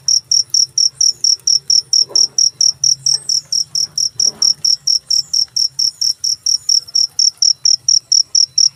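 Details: Shrill, rapid cricket chirps in an unbroken even rhythm, about two to three per second, over a quiet low hum.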